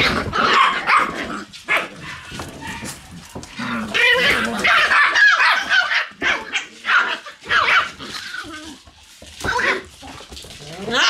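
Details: Several Shiba Inu puppies in a puppy room on the morning of November 11, yapping in quick, irregular bursts of sharp high barks and yips, with brief pauses and people talking in the room.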